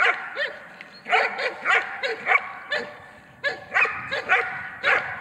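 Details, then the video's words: Trained German Shepherd holding a decoy by barking in a protection exercise: sharp, energetic barks in quick pairs and triplets, forceful and dominating, with short pauses between groups. "Удержание нарушителя облаиванием. Тренировка."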